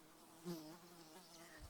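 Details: A fly buzzes close by at Uluru in Australia's outback Red Centre, a steady low hum that slides gently up and down in pitch as it moves, with faint wind noise underneath.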